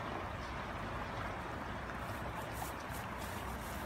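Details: Dense, even rushing noise, like water or a passing vehicle, fills the short stretch with no animal calls.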